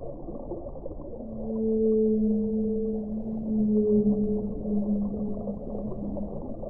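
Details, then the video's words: Long, deep whale moan held for about five seconds, rising gently in loudness twice, with a paired higher tone running above it and a continuous low hiss behind. "1 ora di suono delle balene"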